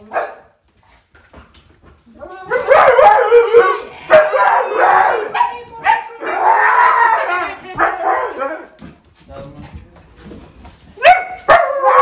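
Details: Siberian huskies howling in commotion as dad comes home after hearing the garage; dense, loud overlapping howls and yodels for several seconds, then quieter whines and a final sharp burst.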